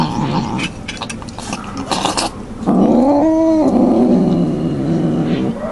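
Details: A cat eating and not sharing its food gives a drawn-out growl that swells into a wavering, moaning yowl midway, after a stretch of crunching and rustling noise.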